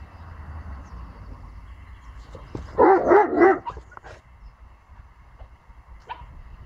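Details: Bentley, a small female pomsky puppy, meeting the neighbour's bigger dog outdoors; a short burst of three or four loud, harsh barks in quick succession midway, then quieter rustling and a person calling briefly.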